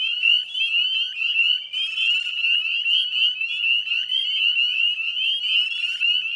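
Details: Spring peepers calling en masse beside the Chezzetcook salt marsh in West Chezzetcook, Nova Scotia, at dusk on 18 May 2020; many shrill, high, rising peeps overlap into an unbroken ringing chorus with brief buzzy bursts.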